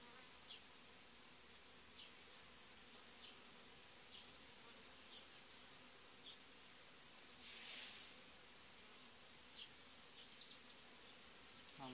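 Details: Populous honey bee colony in the hive in July, with a good breeding queen, giving an unbroken, even buzz; light clicks and taps recur about every second, with a brief louder rush around the middle.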